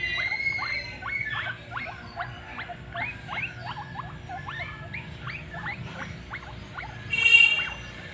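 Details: Guinea pigs in the early morning give a rapid, busy run of short upward-sweeping squeaks, many overlapping, then a brief louder high-pitched burst near the end, with a steady low hum beneath.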